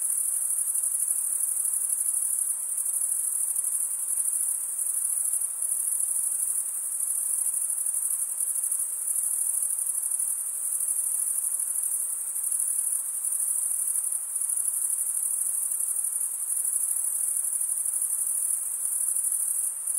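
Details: Chorus of male crickets stridulating, wing scraped against serrated wing. A dense, high, ringing trill runs without pause for the whole stretch, nearly constant in level, over a faint background hiss.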